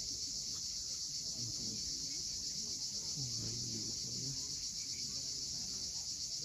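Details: High, even cicada buzzing with a rapid pulse of roughly four beats a second, recorded at sunset on the steep Crimean coast near Cape Fiolent; faint low humming sounds in the background.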